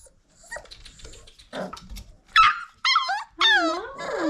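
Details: Old Family Red Nose Pit Bull puppies at five weeks old, indoors: after soft rustling, a series of high, harmonic whining yelps with falling pitch, the last drawn out into a wavering whimper.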